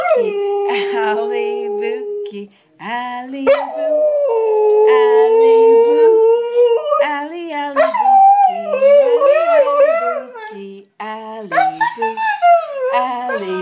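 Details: Pet Siberian Husky, a female, joining her owner's singing with sliding, wavering howls. A lower human voice sings underneath almost throughout, and the two voices overlap and rise and fall together.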